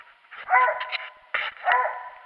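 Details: Dog out squirrel hunting on January 21, 2018, giving two loud, harmonic barks about a second apart, each breaking into a short yelping tail, with quiet outdoor stillness between them.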